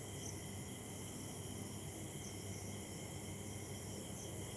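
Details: Post-rain evening in Chakdah with a cricket chorus: steady, piercing trills stacked at several pitches run unbroken, a few faint higher chirps surfacing, over a soft low rumble.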